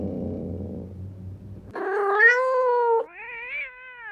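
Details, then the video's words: Domestic cat sound meant to attract cats: a low rumbling growl-like noise, then a long, loud, slightly wavering meow followed by a second, softer falling meow. "KEDİ ÇAĞIRMA SESİ | KEDİLERİ KENDİNE ÇEKEN SES"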